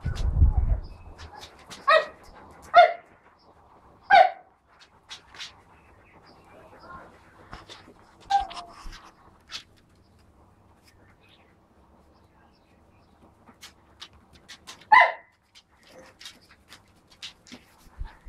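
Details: Husky puppies four weeks old and adult huskies in one household: short bright yips and barks come in a quick run of three near the start, then isolated ones separated by long pauses, with a low thump at the opening.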